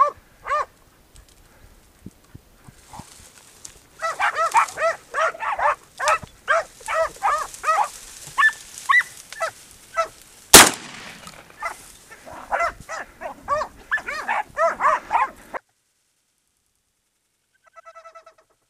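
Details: A male Podenco hunting dog bays in rapid, sharp, repeated barks at a wild boar bedded down in a ravine during a hunt.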